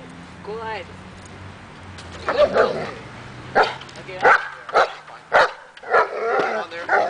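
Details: Dog on an agitation table during training meant to build confidence and barking: a quiet stretch with a person's voice, then a run of sharp, loud barks from the middle onward, spaced about half a second apart.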